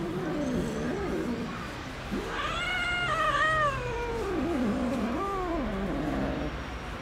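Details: Domestic cats living in a fenced safe zone with cat houses in Istanbul, where they are fed daily. Several drawn-out, wavering meows, rising then falling in pitch, follow one another over about four seconds against steady low background rumble.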